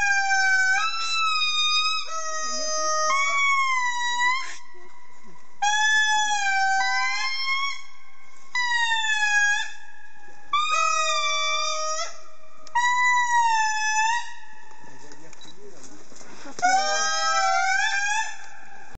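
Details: An indri sings a lament of loud, wailing notes that hold, slide and swoop in bursts of a few seconds.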